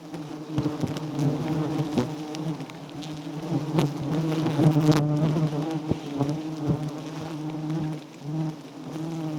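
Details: Loud continuous droning of many wild giant honey bees around a small white-combed nest during honey collection, a rich low hum swelling in the middle, with scattered knocks and a short dip near the end.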